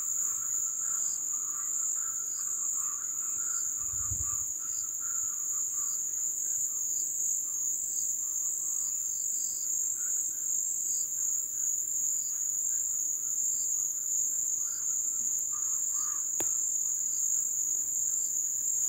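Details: Wetland crickets during the ebb season in the jungle, a constant piercing high trill running without pause, overlaid by faint pulsed clicks about once a second and occasional soft mid-pitched calls from other creatures.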